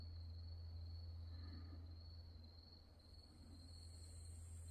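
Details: Nighttime grass insects at the mountain temple Wonhyosa, Mudeungsan, recorded October 2024: a thin, sustained high trill without pause, a fainter hiss entering near the end, all above a loud low droning hum.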